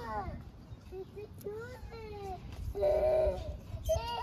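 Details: Orphaned hungry stray kittens in Istanbul asking for food: a run of short, high mewing calls that bend up and down, then a louder, drawn-out meow and a final quick mew, over a faint low hum.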